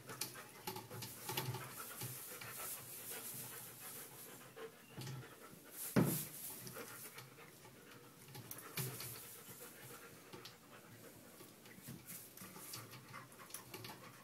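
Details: Female dog panting after enthusiastically playing with a new tug toy: steady rhythmic breathy panting, with a sharp thump near the middle.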